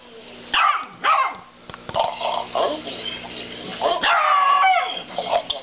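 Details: A dog barks at a cow that is snoring, giving a pair of sharp barks early, softer yelps in the middle, then a longer, whining bark near four seconds over a low constant hum.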